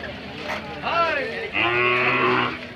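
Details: Hallikar cattle at the KG temple cattle fair market in India: a long, steady, low moo with rich layered overtones holds for about a second, after brief rising voice-like calls and a background of fair crowd noise.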